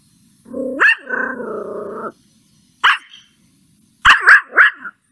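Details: A puppy angry at a stranger gives a drawn-out rising growl-whine, a single sharp bark, then a quick run of three yappy barks.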